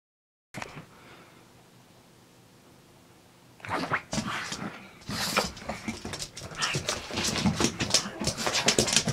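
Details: Pugsy the pug, back from a walk in the park, carrying on as he does for about 30 minutes after each walk: a quiet start, then rapid, rough snorting and snuffling bursts that grow louder and denser toward the end.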